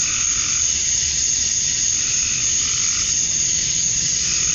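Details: Male cicadas calling for females on a summer evening at dusk in Georgia, USA, forming a continuous shrill whine, with a faint lower pulsing call in the background.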